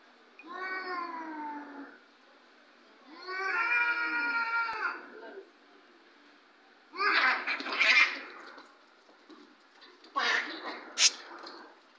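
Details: Domestic cats fighting: two long wavering yowls with stacked harmonics, then harsh hissing, spitting bursts near the end.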